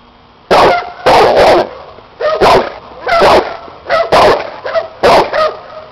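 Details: Rapid, forceful barking from a Cane Corso aged seven, tested in protection work with an unfamiliar helper and hidden sleeve; roughly eight rough barks in six seconds, several run together in pairs.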